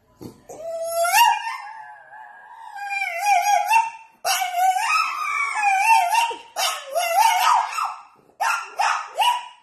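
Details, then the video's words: French Bulldog begging for Chinese food: long, drawn-out vocal whines and howl-like moans that rise and bend in pitch, broken into several phrases with short pauses, ending in shorter rising yelps. "French bulldog wants Chinese food"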